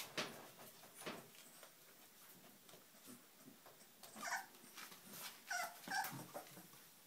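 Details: Puppies whimpering, with a few short, high, wavering whines that bunch up in the second half, set among soft scuffling, tapping and rustling noises.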